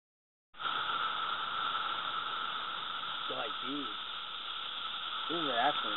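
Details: Brood II periodical cicadas (Magicicada) in a loud chorus measured at over 109 decibels with a sound meter, North Edison, New Jersey, 2013. A continuous droning whine holds steady throughout, with people talking over it.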